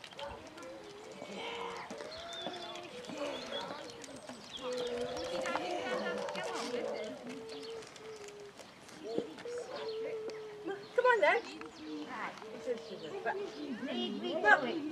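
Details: Basset Hounds, a pack of 22 on a walk round Belwade Farm, Dess, Aboyne, Scotland, on 2 October 2016, giving overlapping drawn-out bays and howls in a wavering chorus, with people talking nearby outdoors.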